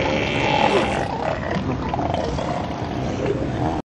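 An elephant seal gives one long, deep, rasping roar that holds steady for nearly four seconds before cutting off sharply.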